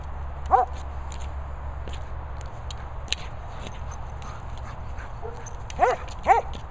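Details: German Shepherd at play with a boomer ball: a brief whine at the start, then two quick yelping whines close together near the end, with low background rumble between.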